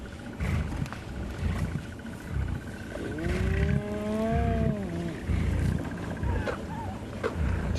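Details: A lioness of the Tsalala Pride growls in low, rumbling bursts, rising into a wavering, drawn-out snarl, at sunrise on 15 October with about 12 hyenas harassing the pride; faint steady mechanical hum.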